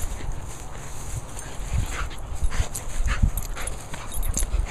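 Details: Zoe, a Sealyham Terrier dog, gives several soft, short whimpering yips spaced across a few seconds, heard over a steady low rumble of background noise.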